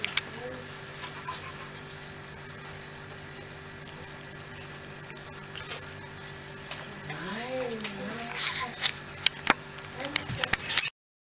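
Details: Bichon Frisé puppies of an A-litter: after a quiet stretch of low background hum, a wavering whine rises and falls in pitch around the eighth second, then come sharp clicks and patter, with faint human voices nearby.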